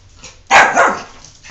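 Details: A single loud, rough bark with a double-pulsed ending from Jordan, a pet dog who doesn't want a bath, recorded indoors before a person coaxes the dog to come here.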